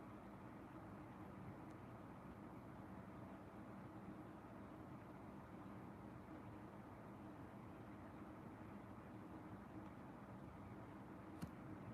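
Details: Faint steady rumble like distant traffic, with one sharp click near the end and no animal calls.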